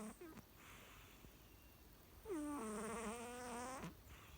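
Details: A pet American Shorthair cat snoring very loudly at home. One long, droning, nasal snore with a buzzing, harmonic-rich tone follows a brief softer breath, over a steady background hiss.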